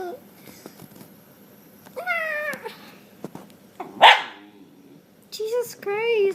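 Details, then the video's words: Pet dogs making weird noises: a rising whine and a sudden loud bark, followed after a pause by wavering, wobbly howl-like cries, with a person talking nearby. "Dogs making weird noises"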